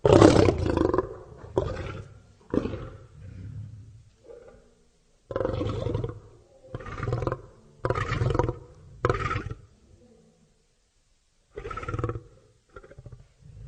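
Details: Lion producing a long sequence of grunting roars: a loud opening burst, then spaced deep, coarse bursts with quieter grunts between them and gaps of silence, ending in soft low grunts.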